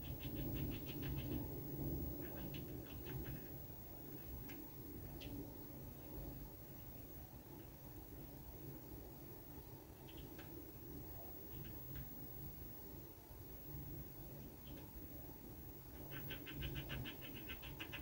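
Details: On a balcony, a red squirrel gnaws a walnut: quick trains of crisp scraping clicks open and close the passage, with scattered single clicks between, all above a constant low rumble.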